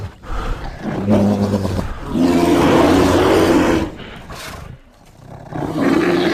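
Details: Bear growling continuously for several seconds, a deep rumbling roar that swells, dips briefly, then rises again with rough, throaty texture.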